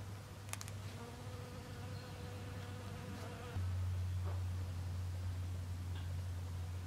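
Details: A western honey bee visiting snowdrop flowers gives a steady, low droning buzz that holds an even pitch.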